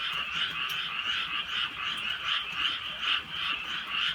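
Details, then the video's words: Countryside frogs calling through a drizzly night; thick, buzzy croaking swells and fades in soft waves, several louder pulses standing out from the massed chorus. "개구리 소리"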